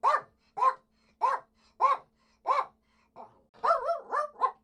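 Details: Poodle giving a steady run of high, clipped barks roughly every half second, ending in a faster cluster of three or four yaps; quiet background.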